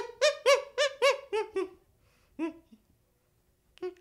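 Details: Baby chimpanzee giving a run of six quick, tonal hoo calls, each bending up and down, then a pause and two more separate hoots; no other sounds.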